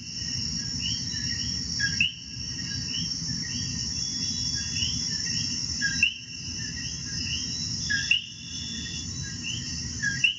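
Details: Common coquis (Eleutherodactylus coqui) in Puerto Rico sing a repeated, rising two-note 'co-qui' over a steady, shrill insect chorus.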